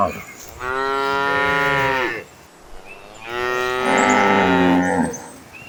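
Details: Herd of cows moving toward green pastures: two long, loud moos, each about one and a half seconds, with a short pause between them.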